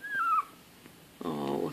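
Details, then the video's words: Bichon Frise and Yorkshire Terrier cross puppies, 19 days old, from a litter of four, eyes newly opened; a thin falling whine, then a short harmonic-rich whimpering cry after a pause, indoors. "Bishon Yorkie litter (Day 19, Sept 4th)"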